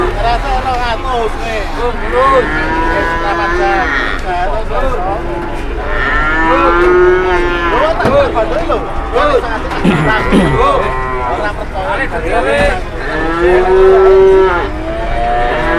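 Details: Many cattle lowing at a market, repeated drawn-out moos, some bending downward at their ends, overlapping almost continuously alongside people talking and occasional vehicle noise.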